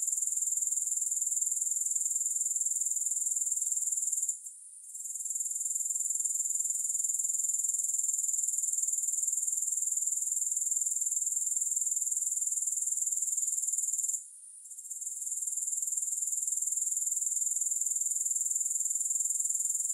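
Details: Unbroken high-pitched insect chorus of grasshoppers, a dense pulsing hiss that drops out for a moment around five and fourteen seconds, then returns at full strength.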